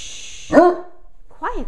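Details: A female Great Dane "talking": two brief whining yelps, the first higher and bent, the second a short rise-and-fall arc after a pause.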